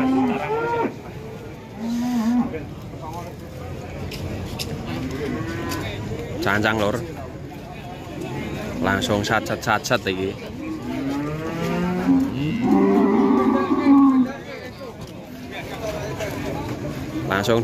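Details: Large Limousin cattle held at a farm in Ampel, Boyolali, Central Java. Repeated low bellowing moos, the loudest one long and swelling near the end, mixed with people chatting and background clatter.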